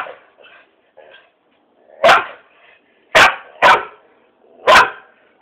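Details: Dog barking at a cat: a few soft, muffled yips, then four loud, sharp barks, two of them close together, roughly one every second.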